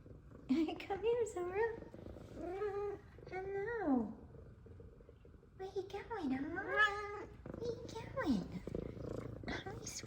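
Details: Two F2 Savannah cats, happy to see their returning owner: one gives a run of bright, wavering meows that rise and fall while the other purrs, as a person talks softly.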